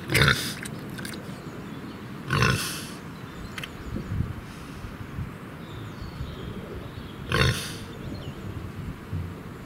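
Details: Free-range Gloucestershire Old Spots pig rooting in mud in a large treed outdoor area; a few short, rough, noisy bursts of grunting and snuffling about every few seconds over a low outdoor background.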